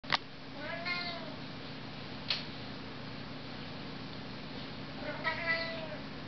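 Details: House cat in Arizona defending its home from a visiting desert cat; two drawn-out, wavering meow calls with bright harmonics, about a second each and four seconds apart, between sharp clicks and a steady background hum.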